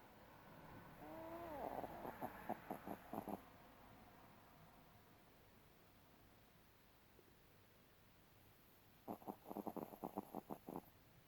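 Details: Sleeping Spitz dog making a few short falling whimpers, then bursts of rapid snuffly snore pulses. The room is otherwise quiet.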